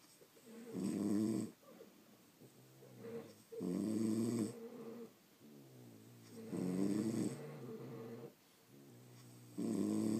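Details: Sleeping pet French Bulldogs produce rough, rattling snores, some with a slightly nasal whine, coming in irregular bursts of about a second each, separated by softer breathing sounds.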